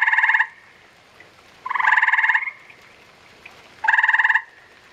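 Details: Three rapid pulsed trills from gray tree frogs during spawning. The trills are short, throaty and evenly buzzing, with quiet pauses between them. One of the middle trills is slightly longer and overlapped.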